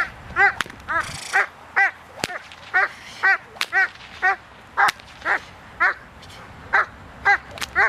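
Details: Protection work with Doberman Pinscher Zita, November 2009, outdoors: forceful barks in quick succession, about two per second, interrupted by short rustling noise and a sharp snap.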